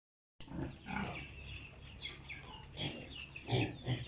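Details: Piglets on a pig farm in Italy, heard as a chorus of short overlapping grunts and high squeals scattered through the clip, with several voices calling at once.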